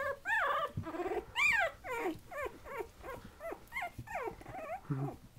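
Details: Patterdale Terrier puppies aged 20 days whine repeatedly, a string of arched squeals rising and dropping roughly once a second, some longer and louder, with a low grunt near the end.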